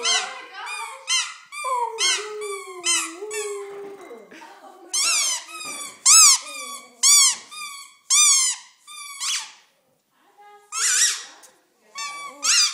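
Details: Coop, a pet dog, sings indoors to squeaky toys: a wavering, sliding howl-like whine for about four seconds, then sharp, high, repeated toy squeaks in short bursts, with a person's voice now and then.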